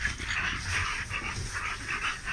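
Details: Big dog at a kennel in Romania panting hard: rapid breathy bursts repeating about four times a second over a steady background hiss.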